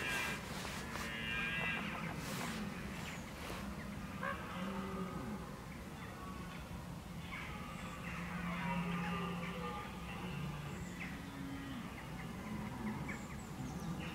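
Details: Rut preparations by red deer, October 2014: a series of low, moaning bellows with rich harmonics, repeated across the recording, opening with some clattering knocks, and a hissing rural background.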